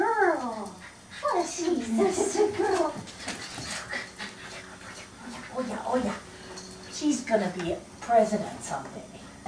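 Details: Ruby, a pet dog, greets a family member coming home indoors. She gives repeated high, wavering whines that slide downward in excited bursts, mixed with people talking nearby.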